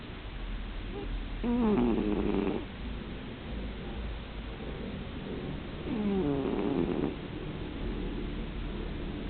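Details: Sleeping house cat snoring deeply, two rough, harmonic snore breaths about four and a half seconds apart, each around a second long and sliding in pitch, with low steady room noise between them.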